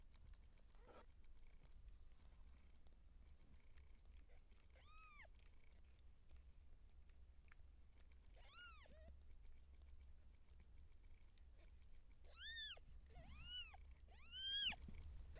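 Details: Siamese seal point cat during labour as kittens are born, giving repeated high, arched mewing cries that come closer together and grow louder toward the end, with a steady low rumble underneath.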